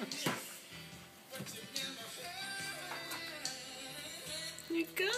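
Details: Background music plays with speech over it; no animal voice stands out.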